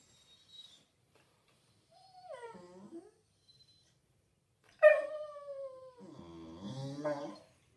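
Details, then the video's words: Six-month-old Staffordshire Bull Terrier puppy crying indoors for its owner to kill a moth so it can eat it: a soft brief whine, then a loud, long, falling whine flowing into a wavering, moaning cry. "Puppy 6 months crying for me to kill a moth"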